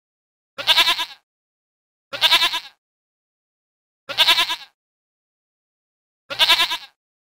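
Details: A zoo mountain goat gives four nasal, wavering bleats, each about half a second long, roughly every two seconds.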